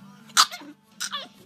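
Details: Pet dog 'talking', imitating human speech: two short, harsh, voice-like bursts with rich harmonics, the second wavering and falling, about half a second apart, over steady background music.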